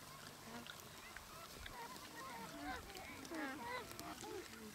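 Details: Gelada baboons in the Simien area of Ethiopia, filmed between October and November 2015. Several overlapping tonal calls waver and slide up and down in quick succession, with soft background noise throughout.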